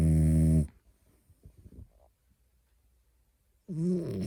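A French Bulldog snores loudly, with a deep, rattling rumble, then soft breathing, then another snore.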